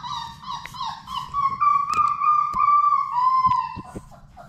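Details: Labrador Retriever puppies, one of Sadie's litter of six, at play in an indoor puppy play room; short broken whimpers lead into a long, high, wavering whine that holds steady then sags in pitch, with scattered thumps and clicks from paws.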